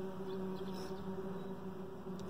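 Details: Honey bees buzzing inside a hive around a dark queen raised the previous year, a steady low droning hum with a faint higher overtone and no other clear sounds.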